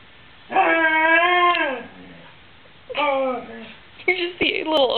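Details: Pet dog Luna whining indoors to her dad, the way she signals being bored, hungry or thirsty: a long drawn tonal whine that falls at its end, a pause, then a shorter sliding whine and brief yelps mixed with a person talking.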